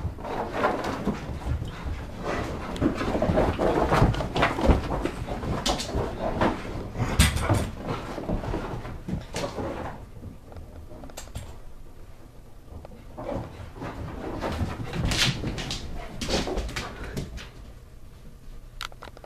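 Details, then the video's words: Two Rhodesian Ridgebacks, Micah and Bella, of 90 lb and 70 lb, playing roughly indoors because it is -20 °C outside; dense scuffling, thumping and short growly vocal bursts throughout, with a quieter stretch midway before play picks up again. "Rhodesian ridgebacks...House looks peaceful! UNTIL!!! Micah & Bella need to play"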